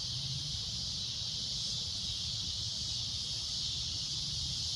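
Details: Loud shrill cicada drone at sunset, a continuous high-pitched buzzing wall of sound with no pauses or changes in pitch, over faint low background rumble.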